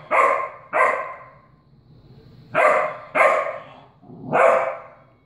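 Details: Young puppy barking at a cat in 2016, prior to training: five loud, high yappy barks in uneven pairs, a pair, a pause of over a second, then another pair and a final drawn-out bark.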